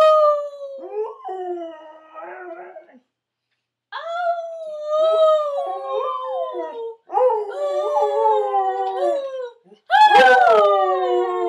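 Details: A singing Otterhound mix dog howls in long, tonal, wavering notes that slide up and down. Three drawn-out phrases are separated by a short silence, and a sharper, higher cry comes near the end.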